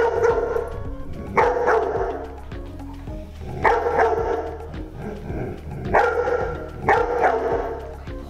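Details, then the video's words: A male black Labrador Retriever in training as a seizure response dog in Canada gives loud, sharp barks in pairs to alert to a seizure, over soft background music. "hey do you hear that dog barking that means they are alerting to a seizure"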